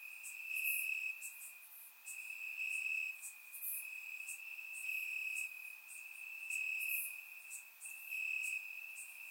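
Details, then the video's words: Night-time chorus of crickets in the grass during a warm Bulgarian summer, surround recording: shrill steady trilling joined by rapid pulsed chirps that swell and ebb every couple of seconds. "Cricket Sounds - Crickets Chirping at Night"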